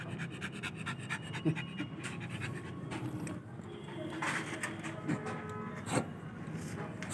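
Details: Pocket-type American Bully breathing in quick, soft, rhythmic pants over a low rumbling background, with a couple of louder breathy bursts and murmured human voices nearby.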